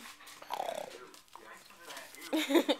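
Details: Female dog being ignored on purpose by her owners, indoors; a whining, moaning voice that wavers and slides, with a louder yowling burst near the end and people talking softly.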